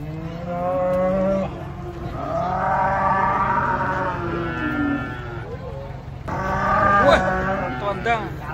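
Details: Giant cattle arriving by truck in the morning bellow in a series of long, deep moos, one rising and falling, then a pause and a final strong moo with rippling overtones, over a low engine-like hum.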